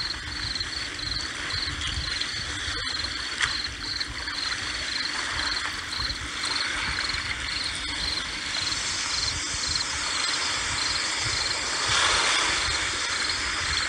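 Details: Shrill cricket chirps at the seaside: evenly spaced high pulses sound steadily for several seconds, then thin out as a louder wave washes in over the hissing surf.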